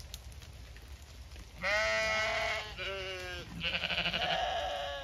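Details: Close, loud Zwartbles ewe bleats at feeding time on a regenerative Kilkenny farm in Ireland after torrential rain: a quiet start, then three strong quavering, harmonic bleats, the last higher and pulsing, with light background noise.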